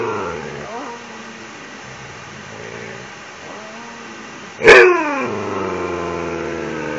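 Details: Ranger, a Siberian Husky kept as a pet, pleads nightly for an empty toilet paper roll. A quiet opening with soft whines gives way to a sudden sharp outburst, followed by a sustained, gradually falling howl.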